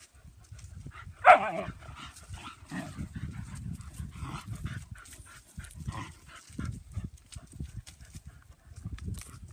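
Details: German Pinscher girls romping in the yard; one loud sharp bark early on, then low scuffling, panting and occasional softer yips as the dogs play outdoors.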